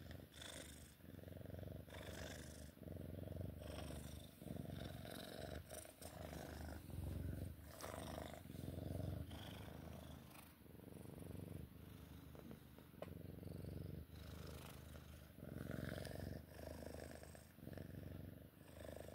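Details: A Sphynx cat purring during play, a deep and loud rumbling purr pulsing in long breath cycles for nearly twenty seconds, with fabric rustling and faint handling sounds.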